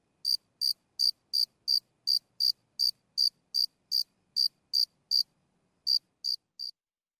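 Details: A lone cricket heard up close giving sporadic chirps, crisp high-pitched pulses at a regular pace of nearly three per second, a short break before the last few; no other sounds.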